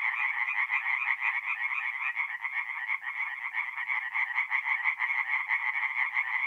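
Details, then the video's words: Tree frogs singing by night at a forest pond in north-east Italy in mid-April. Many frogs give rapid-fire, clacking croaks, nearly three a second, in a dense overlapping chorus with steady loudness throughout. "relaxing forest pond by night with singing tree frogs"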